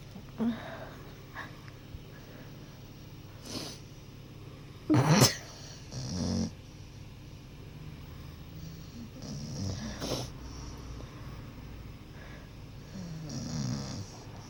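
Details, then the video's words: A pet dog asleep and dreaming after a long day, snoring softly with low rumbling breaths and a few louder snorting bursts scattered through the recording, in a quiet indoor room. "MY DOG SNORING & DREAMING"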